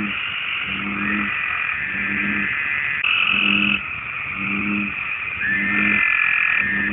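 Deep, resonant croaks from an American bullfrog repeat roughly every second and a half, the male's call to attract mates. A constant higher buzzing chorus of insects or other frogs runs underneath throughout.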